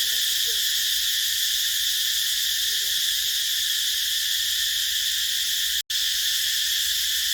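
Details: Cicada chorus in a rubber plantation, an unbroken shrill hiss-like buzz held at even loudness, a few soft lower chirps early on, and a brief total silence just before the six-second mark.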